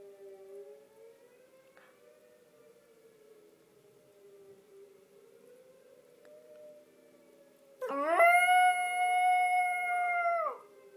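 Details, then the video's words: {'caption': 'A tornado siren warning, tested on the 1st of every month, wails softly for several seconds before Hershey, a little Yorkie, breaks in with a loud, sustained, level howl that ends abruptly.'} "Yorkie Hershey singing the Tornado song"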